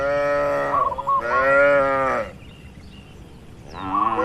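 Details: Tame cattle relaxing and grazing in a spacious oil palm plantation; two strong, sustained moos with full harmonic tone and a stuttering edge, a short quiet pause, then another moo begins.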